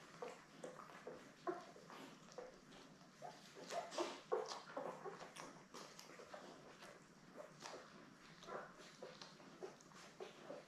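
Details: Seven newborn Labrador Retriever puppies, born May 24, 2021, lie with their mother Belle on a live puppy cam on June 3. Faint, short high whimpers and squeaks come through steady rustling and shuffling indoors.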